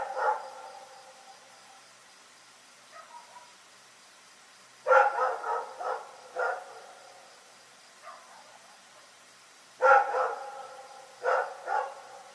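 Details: Rex the dog barking through the night in Pyrga, in bouts about five seconds apart, each a loud bark followed by one or two more, with faint soft yelps between bouts against a quiet background.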